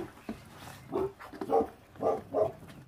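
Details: Feral dog puppy growling while it eats, its mother having abandoned the litter; four short, rough mid-pitched bursts about half a second apart, over low room noise.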